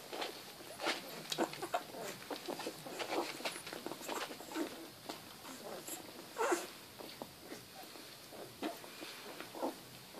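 Several Rottweiler puppies yip and whimper in brief, sharp bursts, the notes high and squeaky. The calls come irregularly, clustering at times into busier flurries of overlapping yelps.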